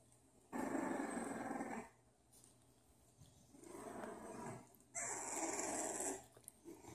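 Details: Bulldog puppies growling in play, three sustained rough rumbling bursts of a second or more each, with a steady low hum beneath.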